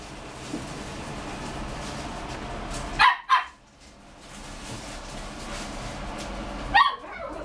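A Poodle-Pomeranian mix puppy gives two quick, sharp yips, then one more after a pause.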